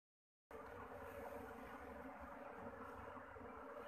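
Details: Busy honeybees at a bee farm's new hive home: a dense, steady buzzing hum of many insects begins abruptly after a moment of silence and continues unbroken.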